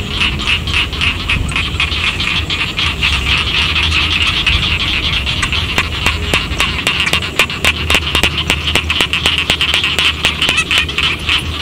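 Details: Rice paddy frogs around a village chorus continuously with dense buzzy croaks. In the second half, a quicker run of sharp clicks joins in and a low hum fades out.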